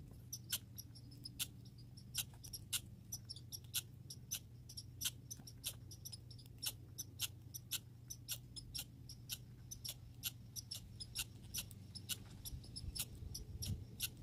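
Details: Grey and red squirrels, filmed in a backyard among chipmunks and birds: a fast series of sharp, dry clicking chips, several each second, over a steady low hum.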